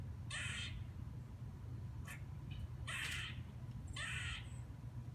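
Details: A squirrel gives harsh, raspy, dog-like barks spaced roughly a second apart over a low steady rumble, the kind it makes while sitting on a fence or tree branch.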